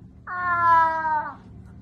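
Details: Domestic cat giving one drawn-out, strained meow of about one second with strong harmonics that rises and then falls, followed by a woman speaking Russian, protesting that it hurts.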